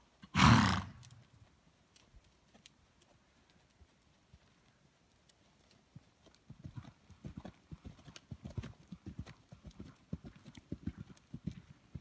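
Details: Mare born 2007, by Bon Coeur out of Hermelin, gives one loud, rough, breathy burst at the start, followed by several quiet seconds and then steady, rhythmic hoofbeats building toward the end.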